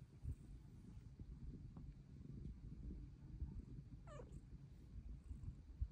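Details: Luna the Bengal cat, asking to be petted, purrs in a continuous low rumble and gives a single short falling meow late in the clip.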